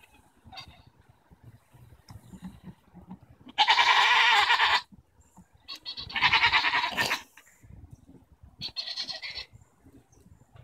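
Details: Goats arguing on June 24, 2014: three harsh, vibrating bleats a couple of seconds apart, the first loudest, the last shorter and softer, over steady low rustling and movement noise.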